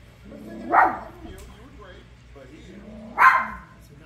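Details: Toy poodle watching The Lion King, giving two short, sharp yips about two and a half seconds apart, each rising then falling, over quiet film dialogue.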